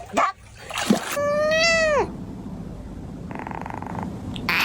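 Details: Domestic cat in a funny cat sounds compilation: a drawn-out, steady meow that drops in pitch at the end, preceded by short noisy bursts and followed by a faint buzzing tone.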